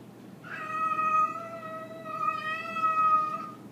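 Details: Cosmo, a grey and white pet cat, hostile toward a visiting orange tabby: two long, drawn-out wailing yowls, steady in pitch and rich in harmonics, swelling and fading over nearly four seconds, with faint room background.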